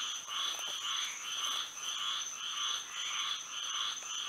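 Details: Night frog chorus in Florida by moonlight, with bursts of rasping, buzzy croaks rising and fading in waves about every half second over a constant high-pitched hum.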